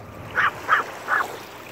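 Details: Three evenly spaced, clipped, high-pitched yaps from Owol-i the Maltese, each brief and bright, with faint background rumble between them.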